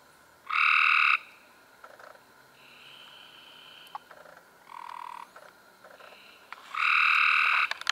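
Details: Several Cope's gray treefrogs calling in May 2016: a loud buzzing trill opens, softer overlapping trills from other frogs follow, then another loud rasping trill near the end.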